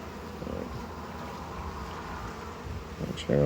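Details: Busy colony of honey bees while their hive is opened for harvest and expansion, frames packed with honey; a continuous low buzzing swarm drone, then a brief human voice at the very end.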